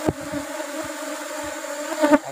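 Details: Apis cerana honey bee colony disturbed while honey is harvested from the rubber-blossom nectar flow. A continuous even drone with harmonic layers, punctuated by brief knocks at the start and a louder rattle near the end.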